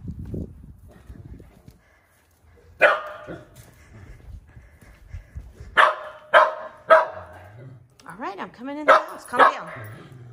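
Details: Murray, a Shetland sheepdog, gives loud, sharp barks in uneven bursts, heard from the street while his owner goes to the mailbox, as a man talks.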